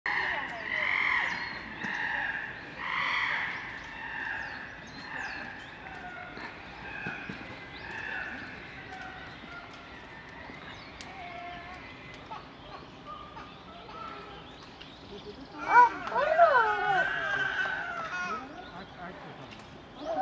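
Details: Young chimpanzees quarrelling at Higashiyama Zoo in Nagoya, Japan, filmed 10 December 2021, while an adult female mediates. Harsh, rhythmic harmonic calls repeat rapidly for the first eight seconds, then fade. A burst of high, wavering screams follows near the end.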